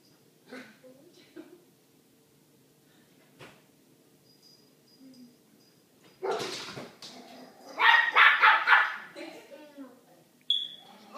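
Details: A little dog barks at a big dog behind a door; faint sounds and a quiet stretch lead into a loud burst and a quick run of rapid barks, then a short squeak near the end.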